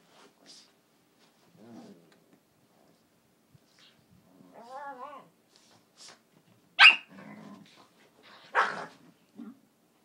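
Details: A dog indoors in a quiet room: low growls and a wavering whine, then two sharp loud barks at about seven and eight and a half seconds, with silence between sounds.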